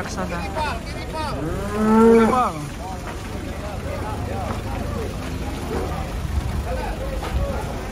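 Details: Agitated cows being unloaded from a truck: one loud, rising then falling moo peaks near two seconds, followed by quieter scattered lowing and engine-like rumble with distant voices.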